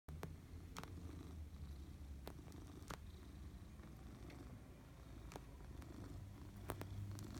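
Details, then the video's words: Maine Coon cat purring steadily; a continuous low rumbling throb fills the clip, broken by occasional brief clicks and taps. "Our friend Pigpen purring!"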